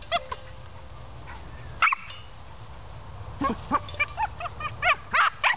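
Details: Cairn Terrier named Hobbes playing with his water pan, giving sharp high-pitched yips and barks, one early pair, then a rapid irregular string of yappy barks near the end, with light clatter of the pan.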